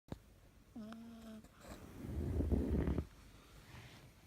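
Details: Cavalier King Charles Spaniel Elu snoring during an afternoon nap: a brief low, steady buzzing tone followed by a rougher, rumbling breath, in a quiet indoor room.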